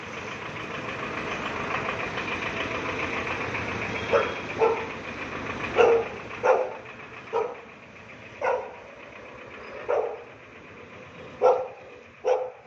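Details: A Shih Tzu playing with a street dog barks in short sharp bursts, one every one to one and a half seconds, against steady vehicle engine noise.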